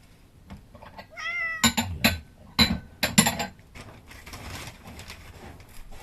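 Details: An outdoor domestic cat gives a single drawn-out, slightly wavering meow. Its call makes seven rescued kittens stop moving. Loud clattering knocks follow, along with a person's soft speech.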